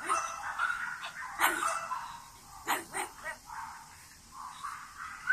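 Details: High-pitched whimpering and yipping from French Bulldogs born 21 and 23 June 2017, a run of squeaky whines broken by a few sharper yelps, with constant hiss behind.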